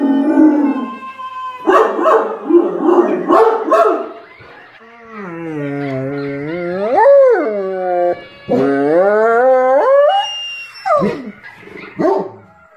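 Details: Dogs howling together, a compilation piece where the description mentions huskies and golden retrievers: several overlapping voices in sliding, wavering tones that rise and fall, with earlier short broken yelps and a final bending, dropping wail.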